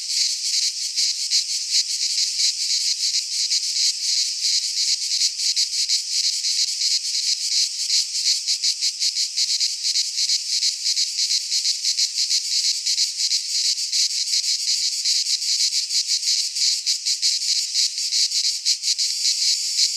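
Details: Greek pine forest cicadas singing in midsummer, an unbroken sizzling high-pitched wall of sound with fast flickering pulses, holding the same level for the whole stretch, no birds or other noises.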